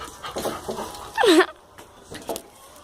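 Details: Dog making a strange noise while attacking someone: a single short, sharp, falling squeal-like yelp in the middle, with softer breathy sounds around it and a person's voice nearby.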